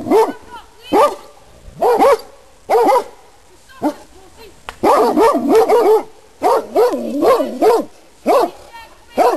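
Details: Loose Rhodesian Ridgebacks, brought uninvited into a private garden, give sharp, ringing barks about once a second, with some doubled or tripled yelping barks in the middle of the run.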